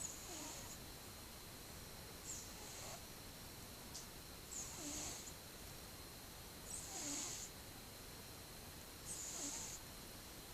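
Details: A pet cat twelve months old dozes and snores, recorded 2015/10/08; gentle airy breaths with a soft rattling undertone come roughly every two and a half seconds against a quiet constant room hum.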